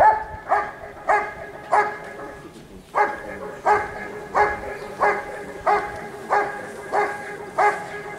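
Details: Giant Schnauzer Rick vom Lindelbrunn barking during a 2022 IGP CACT trial in Russia: a long run of forceful, harmonic barks about every 0.6 seconds, broken by one brief pause, with quiet event noise behind.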